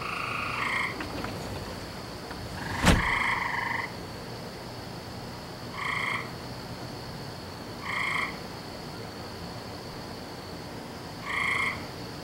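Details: Frogs heard on a May night in 2012, as every night at this time of year: brief ringing croaks spaced two to three seconds apart, one louder longer call, and a sharp click early on over constant hiss.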